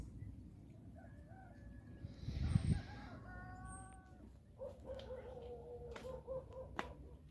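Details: Orange cat giving several soft, quiet meows: a brief wavering call, then a flatter tonal one, then a longer wavering meow near the end, over a low indoor rumble with a few clicks.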